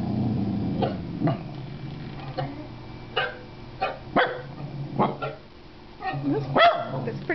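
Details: A Corgi learning to "speak" on cue barks in short, punchy bursts, some single and some doubled, spread unevenly over several seconds, while a person talks quietly between barks.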